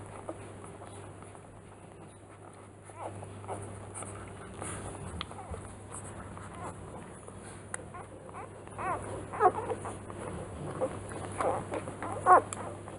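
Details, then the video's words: Three-day-old newborn Rottweiler puppies: quiet at first, then a cluster of thin, high squeaks and whimpers grows louder and more frequent toward the end, over a constant low electrical hum. "B Nest Ziva van Angfiero dag 3 - Rottweiler"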